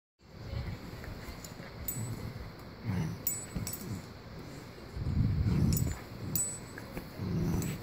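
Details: Two Cavalier King Charles Spaniels playing give low, rumbling grunts in short irregular bursts, with faint high chiming tones.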